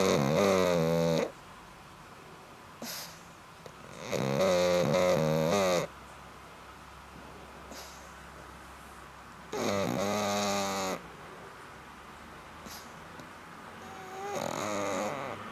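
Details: Black pug snoring steadily: four harsh, rattling snores of one to two seconds each, spaced several seconds apart, with soft breaths and quiet room noise between them.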